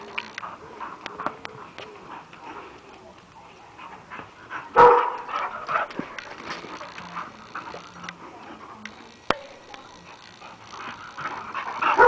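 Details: Boxer at play with a Great Dane, the two dogs friendly together; short barks and whining whimpers break out in bursts among thumps and scuffles, with a human voice speaking in between.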